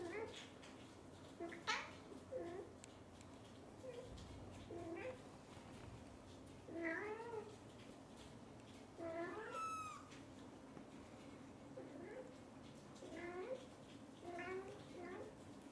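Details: Onion, a kitten, excited and happy while being pampered by his mother cat indoors; about ten short, bright meows with rising-then-falling harmonics come in bursts, one higher squeal near the middle, over a soft room hum.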